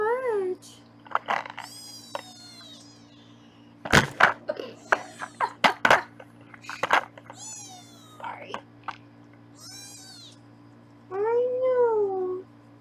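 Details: Foster kittens in Los Angeles being weighed by their foster carer: high kitten meows open and close the passage, with loud clattering knocks, handling noise and a woman's speech in between, over a constant low hum.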